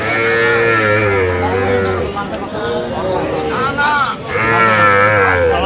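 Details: Small Sahiwal calves at a Kushtia cattle market where a farmer buys young bulls and heifers, 8 October 2025; two long, drawn-out moos, one at the start and one near the end, over constant voices of bargaining buyers.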